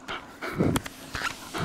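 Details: A male Shetland Sheepdog puppy about five months old, at bedtime after being told "house", gives short breathy panting puffs with a faint whimpering tone, indoors, over a low room hum.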